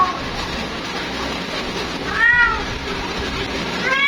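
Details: Calling for her mate, a female cat gives a clear, bending meow midway, followed by the start of another at the end, with steady hissing noise throughout.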